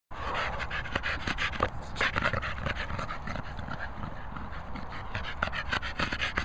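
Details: Staffordshire Bull Terrier, one of two dogs together, panting hard: quick breathy rasping pulses, several per second, steady and unbroken for about six seconds, with no other clear sounds.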